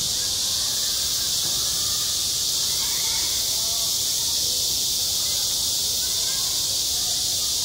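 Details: Cicadas singing in high summer over a school playground, a sustained high, hissing drone of many callers at constant intensity, with faint distant voice-like murmurs underneath.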